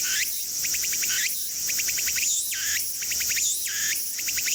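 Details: Tsukutsukuboushi cicada (Meimuna opalifera) singing in Mitake forest, Japan. A rhythmic phrase alternates rising, sweeping notes with quick bursts of four or five sharp pulses, cycling about once per second over a steady high insect hiss.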